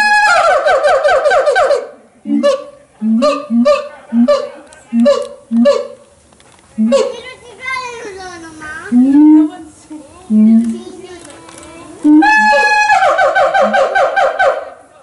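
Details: A siamang at Los Angeles Zoo sings loud, blaring calls mixed with deep, regular booming notes and sliding barks.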